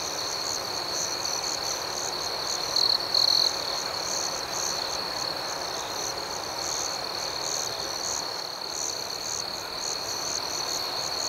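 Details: Nighttime crickets chirping in a steady, high, ringing chorus, with quick repeated pulses over a constant trill and two short louder bursts around three seconds.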